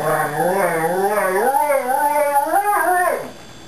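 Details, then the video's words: Adele, a Pembroke Welsh Corgi, howls in response to a fire siren: one sustained, wavering howl rising and falling in pitch with rich harmonics for about three seconds, then fading out. "Adele Howling"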